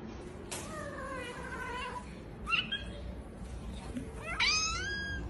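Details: A Persian cat gives a few short, high meows, one faint and wavering, then sharper rising cries spaced about two seconds apart, over quiet room hiss.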